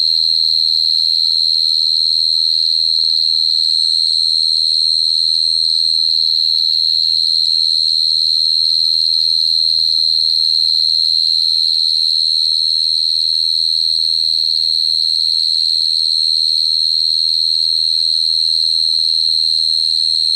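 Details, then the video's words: Long unbroken cricket trill, a bright high ringing note sustained for about twenty seconds with steady rapid pulsing and a soft low hum in the background. "Cricket sound effect(cricket sound)"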